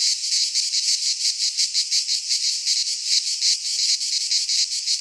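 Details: Greek cicadas sing in midsummer pine forest, their high sizzling buzz beating in quick rhythmic pulses around three per second, constant in loudness, with no birds or people heard.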